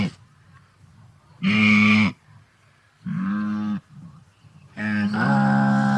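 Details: Wildebeest, an antelope from Africa, with three hoarse, low, cow-like moans over soft background rumble and faint murmuring between the calls. The final call is longer and bends upward partway through.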